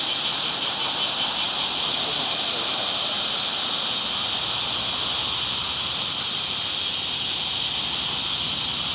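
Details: Summer cicadas produce a steady shrill drone; a few quick pulses flicker in the first two seconds before the sound smooths into a continuous high hiss of even loudness.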